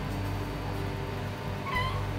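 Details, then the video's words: Brief bright meow from a cat on a cold morning, arriving late after a stretch of low steady hum, with a harmonic, slightly falling tone. "ДОБРОЕ, ХОЛОДНОЕ УТРО С КОТИКАМИ"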